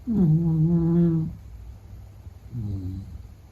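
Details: Beagle named Meta (格格) snoring while asleep: a loud, humming tonal snore of about a second with strong low harmonics, followed by a softer, shorter breath after a pause.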